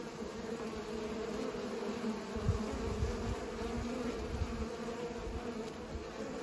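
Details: Bees pollinating produce a continuous, dense, low droning buzz that stays steady throughout, with soft low thumps rising and falling underneath.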